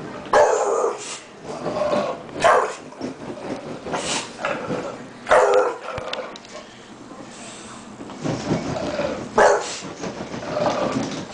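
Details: Eight-month-old bulldog angry at rollerskates, giving repeated short rough barks and growling bursts every second or two, with a person speaking over it.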